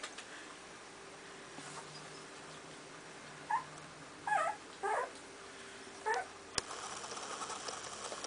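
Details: Two-week-old puppies from the E-litter of Moon and Frosty give high, thin squeaky whimpers in four short bursts over a few seconds, with a steady low hum in a quiet indoor space.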